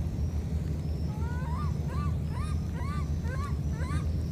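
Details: Baby monkeys cut off from each other by flooding keep calling: a rapid run of high arched chirps, about three each second, over a loud low hum.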